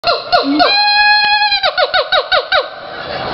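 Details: Monkeys at the zoo in Jacksonville, Florida, making weird noises: a long squeaky sustained tone, then a rapid run of about eight short falling squeals, loud and close in an echoing space.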